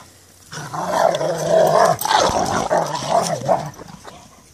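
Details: Rottweilers at play in a chase-me game, giving a sustained low, rumbling growl that runs for about three and a half seconds with a brief dip midway and small louder pulses toward the end.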